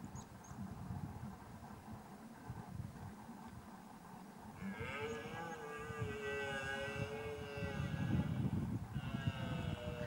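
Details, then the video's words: Scottish red deer (Cervus elaphus scoticus) during the rut in Lochaber, Scotland: a long, drawn-out, harmonic bellowing roar rises midway and lasts about four seconds, then a second roar begins near the end, over a steady low rumble. "Red Deer Rut Lochaber Scotland"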